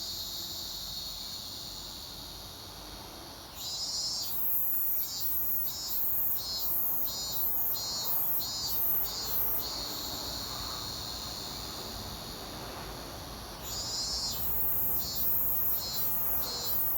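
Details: Robust cicada calling at an undisclosed location: a steady high buzzing drone swells into pulsing phrases of rapid, evenly spaced throbs, about two per second, for around ten seconds, then fades back to drone before pulsing again.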